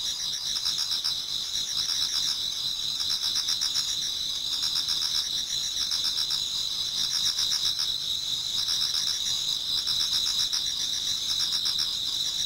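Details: Towards dawn in a Japanese garden, numerous autumn insects keep up a constant piercing high trill, while lower chirping pulses come in short bursts at roughly four per second, the whole chorus steady and even.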